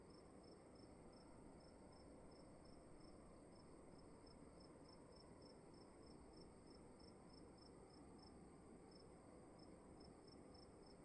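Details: Crickets calling inside a dark room at night: a faint, steady string of evenly spaced high pulses, about four per second, over a constant low hiss and rumble.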